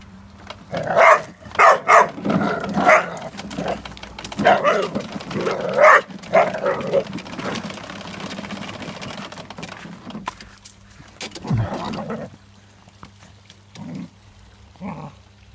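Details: Irish Terrier barking at a lawn mower: a quick run of sharp, ringing barks through the first seven seconds, then a few sparser barks, all over a steady low mechanical hum.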